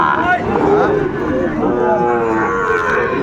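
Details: Sahiwal bull calves and other cattle at the Ambari market, 22 April 2024; overlapping low moos rise and fall against a dense background of talking traders and general market bustle.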